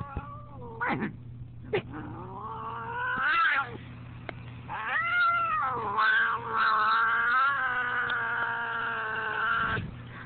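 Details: Fat domestic cat, angry, letting out long moaning yowls that rise and fall in pitch, a few short sharp cries at first, then a sustained wailing growl-like caterwaul lasting several seconds, with a constant low hum underneath.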